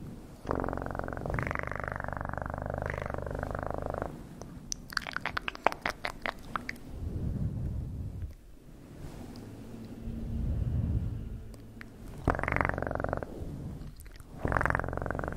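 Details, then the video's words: Cat purring in close, steady bursts of rapid low vibration, broken by stretches of crackling, tapping handling noise before the purr returns in short spells near the end. "Best PURRING sounds"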